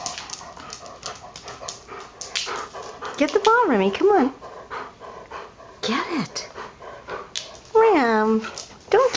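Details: Remy, a pet Irish Setter, trying to get his soccer ball out from under a microwave cart indoors; drawn-out whining whimpers that rise and fall in pitch come in three bouts, with a person talking and encouraging him in between.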